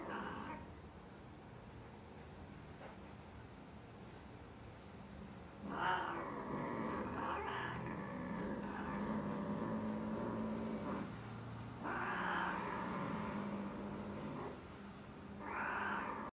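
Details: British Shorthair cat; mating yowl; mating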